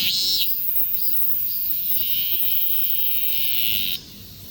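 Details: Cicada buzzing captured on a Galaxy S24 Ultra smartphone: an unbroken shrill high drone that swells slightly, then stops abruptly after about four seconds, leaving quiet hiss.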